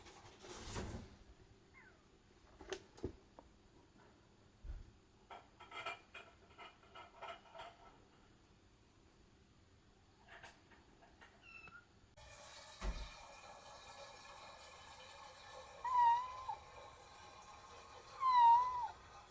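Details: Kitten Momo-chan meowing during her first use of the toilet indoors: scattered clicks, clatter and scratching noises first, then a few short, thin, rising-falling meows near the end, two of them louder.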